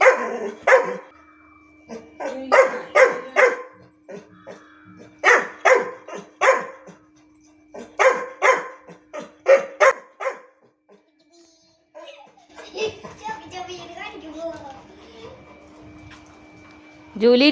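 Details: Labrador Retriever, one of two pet dogs, jealous when the other dog is given a biscuit: a run of about a dozen sharp, loud barks in quick bursts, then a mix of quieter sounds with a person talking.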